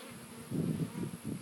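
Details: Bees at hummingbird feeders; a low, droning buzz swells and fades in short bursts as insects fly close.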